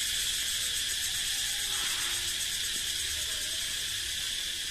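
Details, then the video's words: Cicada song ringing through a forest, made by males to announce their strength and fitness: a dense, steady, high-pitched hiss-like drone with a bright band near the top, unbroken and even in loudness throughout. "เสียงร้องจักจั่น เสียงดังก้องป่า"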